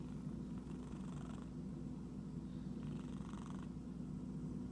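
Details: Itchy cat's steady purr, a low rolling drone, joined by two short spells of soft rustling noise near the start and later on.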